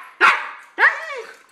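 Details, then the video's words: Pet dog 'talking' during an afternoon chat with its owner: two loud rising, throaty howl-like vocalizations, each tailing off into a falling whine, with the owner speaking Spanish around them. "the talking dog"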